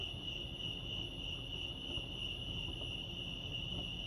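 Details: At Lake Arrowhead, California, crickets chirp in a bright, unbroken high-pitched trill that pulses quickly and evenly, set against a constant low murmur of ambient noise.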